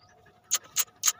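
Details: Greyhound, a racing dog kept in a village, panting: three short, breathy, hissing bursts spaced roughly a quarter second apart, with a faint low hum between them.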